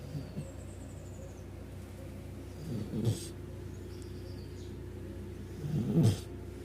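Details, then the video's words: Snoring dog, snores described as big-dog-like. Two deep, gravelly snorts arrive about three seconds apart, with a soft rising breath before each, faint high thin whistles early on, and a constant low background hum. "este perro esta que ronca,los ronquidos son de perro grande"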